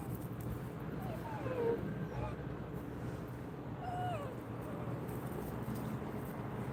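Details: Simkong the dog on a first outing, a trip to the vet, gives thin whining whimpers that slide up and down, a few short cries spaced over several seconds, over steady low rumbling background noise.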